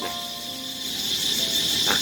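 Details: Cicadas give a steady, high, shrill buzz without a break in the evening in a forest garden on hospital grounds in Thailand as the dry season begins; birds and engine noise are also heard.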